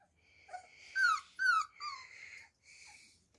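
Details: Young Beagle puppies on their first steps let out a few high squealing whines, two louder sliding cries in the middle, then softer whimpers fading out.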